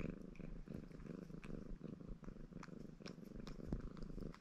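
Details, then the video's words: {'caption': 'Short stretch of a ginger Maine Coon tom, Baron, purring while he washes himself in a happy mood; continuous low vibrating rumble with rapid pulses and small licking clicks layered on top.'} "Рыжий кот мурчит и умывается"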